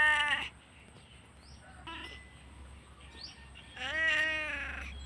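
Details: Domestic cat crying while its owner stepped out to fetch a parcel; short harmonic meows at the start and end with a faint mew between, plus soft high chirps in the background.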